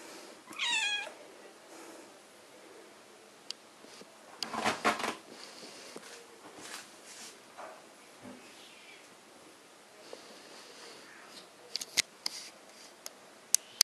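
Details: British Shorthair cat at a breeding cattery in Poland gives one drawn-out, wavering meow early on, then quiet stretches with soft rustling, thumps and sharp clicks indoors.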